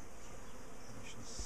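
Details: Bees from a feisty colony whose owners were ambushed and chased down their garden, heard while the top bar hive is opened. A thick, low, even drone of many wings fills the clip.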